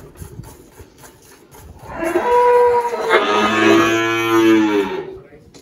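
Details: A single long Girolando cow moo on a farm in Anápolis, Goiás, Brazil, 1 March 2023, building from near silence into a full, throaty bellow that holds steady for about three seconds before fading.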